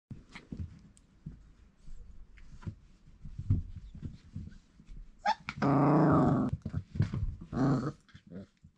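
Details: Four-week-old Irish Setter puppies crawling in a raised indoor pen. Near the end come two harmonic yelping cries, one long and one short, over scuffling, clicks and low rumbling handling noise.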